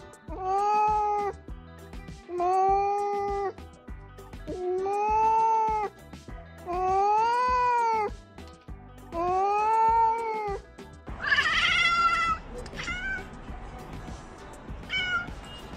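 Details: Domestic cat meowing five times, each drawn-out arched cry about a second long, repeating roughly every two seconds, then a higher, harsher wail near the end; faint music in the background.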